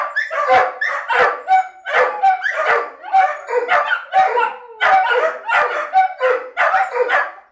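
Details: Several pet dogs vocalizing in separation anxiety as their owner leaves for a short trip to the shop without them: a continuous chorus of bright, harmonic yips and yelping barks, overlapping and repeated several times per second.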